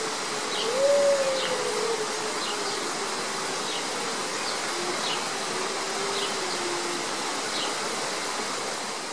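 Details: Hudson Bay wolves, a grey wolf subspecies, at a zoo in Berlin; one gives a smooth, drawn-out howl that rises, then slowly falls and fades.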